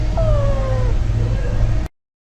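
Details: Month-old rescued kitten making sounds while asleep: one thin, high, falling squeak lasting under a second, over a steady low rumbling hum that persists throughout.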